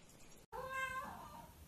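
A Russian Blue cat gives a single clear meow that rises and then slides down.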